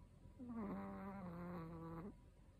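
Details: A 13-year-old male Chihuahua, a habitual loud snorer, snores in one drawn-out breath of nearly two seconds, low and even with a nasal, slightly whistling buzz, ending abruptly.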